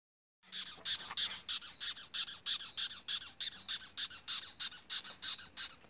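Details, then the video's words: Angry African rhino beetle: a rapid series of harsh, high, raspy pulses, about three per second, steady and regular throughout, with quiet background. "The African Rhino Beetle. Big sound for a little bug"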